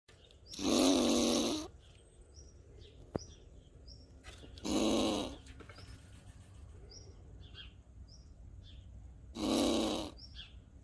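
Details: Angry squirrel screaming in nature: three harsh, noisy bursts of about one second each, spaced roughly four seconds apart, with faint short chirps in the quiet gaps between them.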